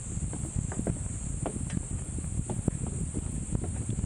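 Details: Cicadas on Mount Brinchang in the Cameron Highlands, Malaysia, hold a steady, high, shimmering drone resembling Japan's niiniizemi, over low wind rumble and soft footsteps.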